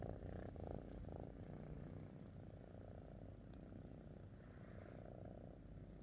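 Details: Domestic cat Fifi, pleased to be with her owner, gives a low rumbling purr that pulses with each breath, louder at the start and then settling softer.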